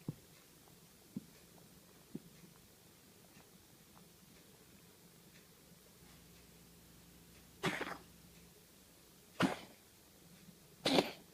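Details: Cat (Felis catus), hairball cough: expelling a hairball.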